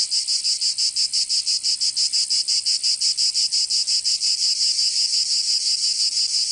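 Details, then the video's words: Southern French cicadas singing in Provence during summer, a piercing high buzz broken into even, rapid throbs about three per second with no other noise. "Canto Cigarra 🦗 [ Escuchar les cigarras en verano 10 H]"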